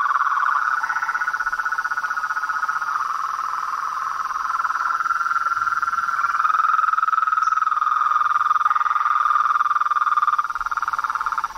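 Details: Frogs, toads and treefrogs chorusing in nature. A dense, shrill trilling drone wavers slightly in pitch and builds in loudness midway. A faint higher tone threads through the later part.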